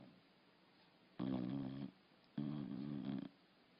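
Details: A sleeping dog snoring indoors: two drawn-out, rough, harmonic snores of under a second each, separated by a short quiet breath, with low room hum in the background.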